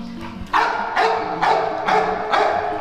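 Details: Domestic dog, eager to go out while females nearby are in heat, giving five loud, sharp barks in quick succession about half a second apart over a faint steady low hum.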